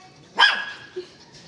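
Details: Belgian Malinois giving a single sharp, loud bark while a person repeats the command to go inside, followed by a faint short whine.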